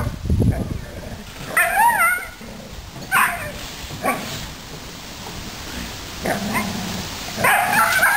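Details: Dobermans play in a backyard full of puddles just after a typhoon has passed. High, wavering whines and short yips come in several bursts across eight seconds, mixed with breathy snorts and low rustling.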